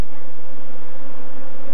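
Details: African honey bee swarm, Apis mellifera scutellata, being collected in Kenya. Steady, dense, low-pitched droning from many bees holds level from start to end.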